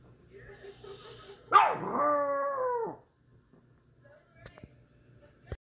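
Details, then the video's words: Pomeranian giving a short howl: a loud yelping onset slides into a sustained, slightly falling tonal howl with rich harmonics lasting about a second and a half, then quiet with faint clicks and a murmured voice in the background. "Funniest pomeranian howl"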